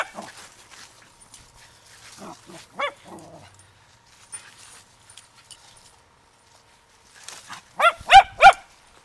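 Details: Zoe the Poodle, recorded 11/7/2009 with a Samsung DualView camera: a few softer yips early on, a quiet pause, then three loud sharp barks in a quick row near the end, over a faint steady hum.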